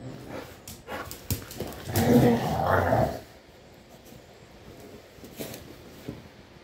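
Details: Pit bulls fighting: after scattered scuffling thumps, a loud tonal growling whine swells for about a second, layered with rough harmonics, then fades into low background shuffling and occasional knocks.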